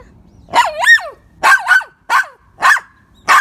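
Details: Poodle barking in sharp, high yapping bursts, the first two double-peaked, about five barks in three and a half seconds with short silences between and a quiet background.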